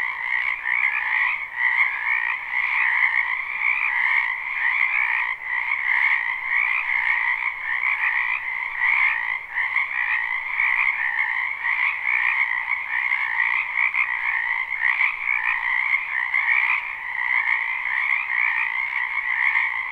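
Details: Spring wetland frog chorus, a live recording with no looping: many frogs croak together in a steady, shimmering wall of trills, a brighter upper band over a lower one, pulsing slightly but never pausing across twenty seconds.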